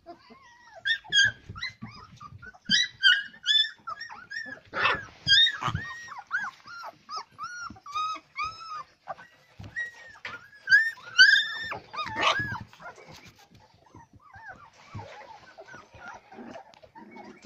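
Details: Several Labrador retriever pups whine in a steady series of arched, nasal, rising-then-falling cries, repeated roughly twice a second for most of the recording, then fading into softer whimpers, with thumps and shuffling in a small room.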